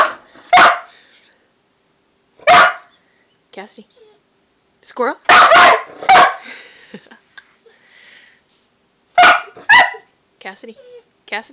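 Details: Cassidy the dog barking at a squirrel: sharp, loud single barks spaced irregularly, a close double bark near the middle, with a person's voice saying "squirrel" between them.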